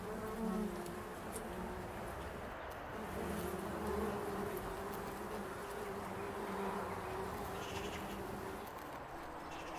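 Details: Bumblebees foraging on foxgloves in an English country garden to pollinate the flowers; an even, low, droning hum with wavering harmonics throughout, slight swells in loudness, and faint distant ambient sounds.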